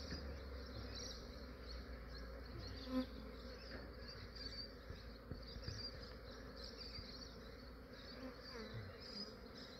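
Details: Honey bees of a massive swarm collected at dawn in Australia while still cool and fairly inactive; continuous thick buzzing drone, even in loudness, with one short click near the three-second mark.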